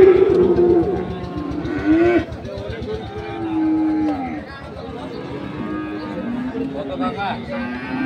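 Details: Crossbred farm bulls being bought and sold at Ambari market, Parbatipur, Dinajpur, on 2 January 2024; drawn-out low moos waver beneath background music and busy market chatter.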